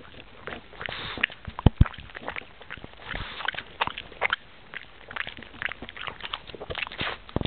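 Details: A pug works on a peanut with squelchy, sticky mouth noises: uneven clicks and smacks tumbling over one another, a couple of louder thumps near the middle.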